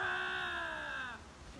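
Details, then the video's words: Lynx howl tail, part of a territorial contest: a steady harmonic wail sliding slightly downward for about a second before cutting off into near silence. "Linx vying for territory, lynx howl, lynx meow"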